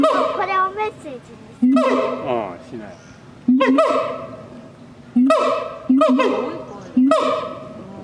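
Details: At night, a siamang gives loud, abrupt honking barks roughly every one to two seconds, each sliding slightly upward and fading, with softer quavering sounds between them.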